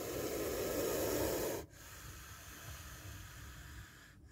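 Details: Hiss of a spectacled cobra during a close encounter with a bite: a strong, steady rushing exhalation lasts about one and a half seconds and cuts off sharply, leaving a fainter breathy hiss behind.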